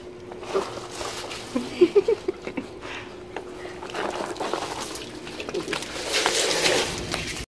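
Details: Katmai, an eight-year-old female rescue sea otter at Vancouver Aquarium, Canada, crunches and smacks wetly while eating a sea urchin, with sloshing water. A playmate eating an urchin just nearby adds grunts and chomping.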